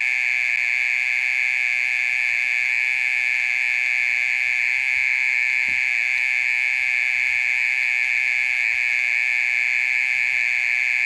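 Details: Mole cricket calling through the middle of the night, persistent for more than thirty minutes; a continuous high, even buzzing drone with strong overtones and one faint click partway through.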